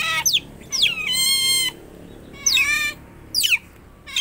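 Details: Shrill, cute-sounding calls of a pet otter kept tame: sharp downward-sweeping squeaks alternate with a longer steady whine, separated by quiet gaps.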